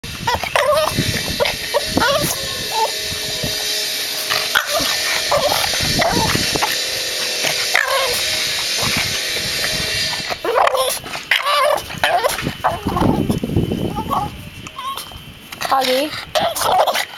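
A Boston Terrier gives repeated sharp, grumbling barks to demand that a ball be thrown.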